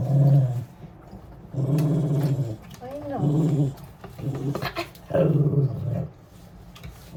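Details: Grumbly wire-haired dachshund, newly rescued from a shelter, during a bath indoors: deep rumbling growls in about five separate bursts, each roughly half a second to a second long, with a woman speaking soothingly between them.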